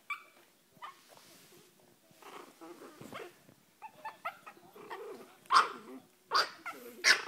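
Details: Registered Chihuahua puppies yipping and whining, small broken squeals building into louder sharp yelps near the end, about one every second or two, with scuffling in between.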